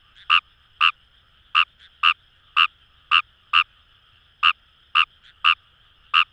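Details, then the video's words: In rice paddies by the Kamo River in Itoshima, Fukuoka, a Fejervarya kawamurai frog gives quick, clipped croaks roughly twice a second, uneven in spacing, against a continuous trilling frog chorus. "Wild Frog Call | ヌマガエル"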